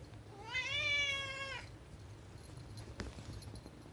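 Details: A single sustained meow of about one second from a rescue cat longing to go outdoors. It rises gently, holds, then tapers off, followed by quiet room noise and a soft knock.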